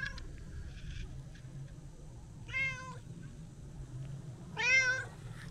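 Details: Brown tabby-and-white stray cat, affectionate and chatty, visited for a New Year greeting on a walk: two loud, wavering meows about two seconds apart, each bending up then down, over soft low background hum.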